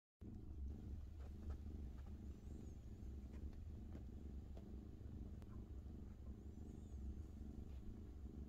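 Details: A domestic cat purring as it naps: a steady, low, rumbling purr runs unbroken through the whole stretch with an even pulsing texture, and faint high squeaky sounds are heard twice in the background.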